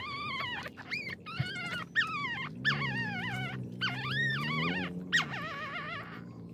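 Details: Small, hungry puppy whining: high, tonal whines with rich harmonics that rise and fall, coming in bursts roughly every half second to a second over a low steady rumble.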